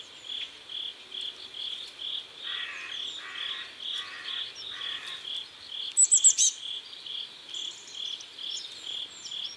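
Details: Riverside crickets at sunset in South Korea keep up a regular train of short high chirps, joined midway by a run of four lower rasping pulses, while a bird gives a quick high twitter near the end.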